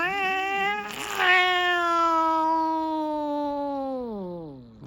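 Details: An angry pet cat losing its temper gives one long, drawn-out, wailing yowl. It holds a steady pitch for several seconds, then slides downward and fades at the end. A short rustle sounds near the start.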